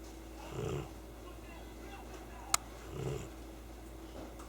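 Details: Chii-kun, a sleeping cat, gives a remarkable snore: two low, rough breathing bursts about two and a half seconds apart, with a sharp click between them in an otherwise quiet room.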